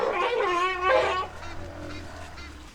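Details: A struggling baby elephant, helped by its mother, gives a loud, brassy, wavering trumpet-scream that breaks off abruptly after about a second.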